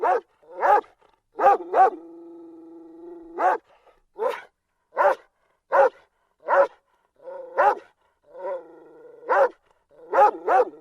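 A dog barks in sharp, irregular bursts, some doubled, with a few longer whining, harmonic yelps between them; nothing else intrudes.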